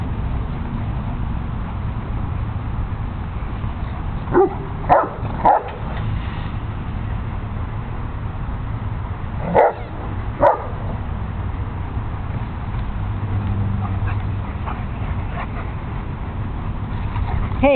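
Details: At a dog park, Zelda the terrier defends her pink squeaky elephant toy against Penny the boxer and the shepherds Shamrock and Max. A quick burst of three barks, later a close pair, then fainter yips, over a constant low-pitched background hum.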